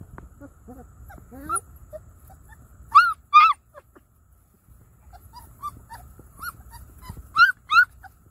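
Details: An accidental Treeing Walker Coonhound and Great Pyrenees cross gives short, rising yips and whines in quick bursts.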